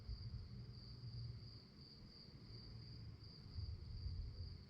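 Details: Night-time crickets keep up a continuous high-pitched trill with a gentle pulsing rhythm, while a low, uneven rumble sits beneath it.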